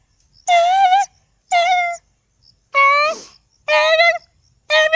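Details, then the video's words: Domestic dog giving a series of steady, clear, moaning howls, five separate notes spaced about a second apart with silence between them. "sounds of dog @@aaUUUU aaUUUU"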